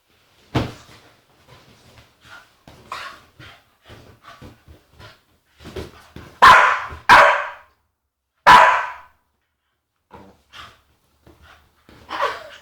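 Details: Agitated female Staffordshire Bull Terrier making funny noises: soft grumbles and short yips build into three loud, harsh barks around the middle, then quieter mutters and a final higher yelp.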